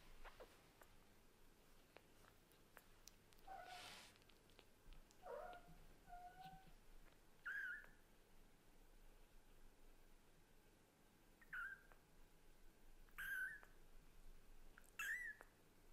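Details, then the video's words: Kitten of a Scottish Fold mother and British Shorthair father, indoors, calling insistently to its mother cat; six short, quiet mews, some flat and some rising to a higher squeak, spaced irregularly over a faint room hiss. "The kitten who talks hard to the mother cat is too cute..."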